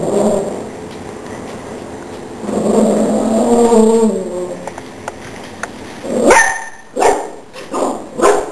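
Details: Chihuahua confronting a cockroach indoors, defending the household: a throaty growl at the start and again mid-way, then a burst of sharp, high yapping barks, about four in quick succession near the end.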